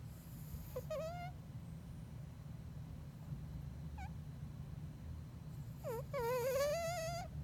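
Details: Elton, a Bengal cat deep asleep, snoring: a steady low rumble broken by squeaky, wavering whistles near the start, a short one midway and a longer rising whistle at the end.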